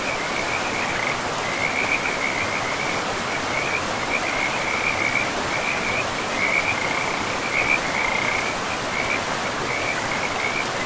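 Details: Frogs calling beside a river deep in a pristine forest: bursts of rapid, pulsed, high-pitched trills chained one after another for the whole stretch, set against a loud, even roar of running water.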